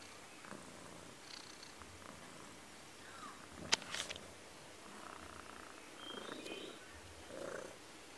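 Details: Cello, a pet Persian cat, purrs softly as he plays with a camera in front of him, a faint rhythmic low rumble broken midway by one sharp click and a short rustle.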